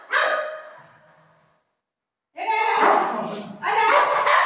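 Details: A playful golden retriever, a family dog, gives a loud bark, goes silent for a second, then breaks into a longer run of barking. A woman speaking Marathi can be heard nearby.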